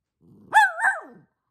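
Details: An old, near-senile dog barking at no one: a single short, hoarse bark that jumps up sharply, holds briefly with a slight second rise, then slides down into a low growling tail, with a soft rumble just before it.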